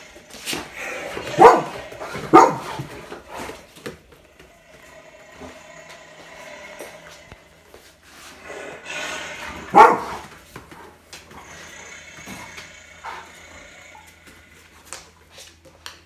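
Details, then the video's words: Retriever dog at home reacting to a played lion roar, giving a few loud irregular barks around two and ten seconds, with quieter background noise and faint voices between. "맹수 사자를 만난 리트리버 반응 feat. 사자울음소리"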